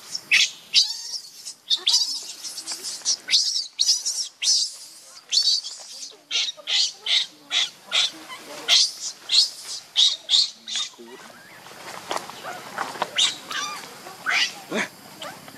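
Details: Baby monkey missing its mother and hungry for milk, crying in a long run of sharp, high-pitched squeals, roughly two per second, shrill bursts alternating with shorter chirps before thinning out near the end.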